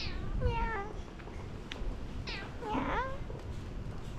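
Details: Domestic cat at an inn during a hot-spring stay in Yufuin and Beppu, Ōita, Japan, meowing at a returning guest: three clear, descending meows, the first longer, the last two close together, over a low hum.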